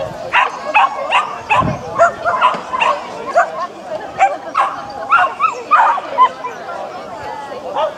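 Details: Japanese Spitz at the annual Spitz in the Park agility event between Tewkesbury and Evesham, July 2015; rapid high yapping barks repeated roughly twice a second over steady crowd chatter and talking.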